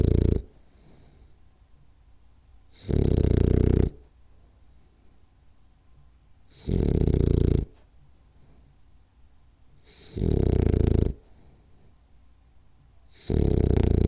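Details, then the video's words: Sleeping French Bulldog Rolly snores in a regular pattern: gravelly, low snores around a second long recurring every three to four seconds, with quiet stretches and faint breathing between them. "French Bulldog Snores Hard For 10 Minutes"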